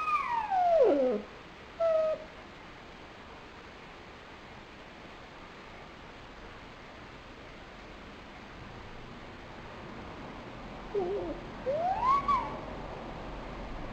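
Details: Lonely nine-month-old pet dog crying, recorded February 12, 2007: two tonal whines slide downward near the start, then a long quiet stretch with faint background hiss, then rising, wavering whines climb near the end.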